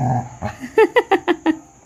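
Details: Pet dog reacting as outsiders enter the house, giving a quick run of five sharp, loud barks spaced about a fifth of a second apart, after people's voices telling someone to sit back inside.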